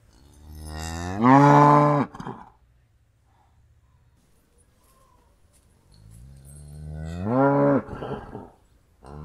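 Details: Cow mooing twice: a long, loud, deep moo with a rising, then level, harmonic-rich tone lasting about a second, a quiet pause, then a second similar moo that swells more slowly.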